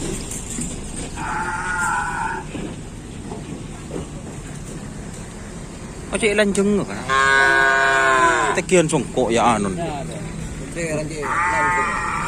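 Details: Racing cattle in Kerapan Sapi training at Asemanis field, 6 November 2022, ahead of an anniversary competition: a brief moo early, then a long loud bellow from about six to nine seconds and a final call, amid crowd chatter.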